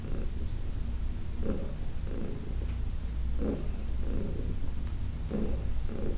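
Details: A steady, throaty purr from Heidi, a senior female adopted cat, during a massage, rising and falling in regular breath pulses just under a second apart.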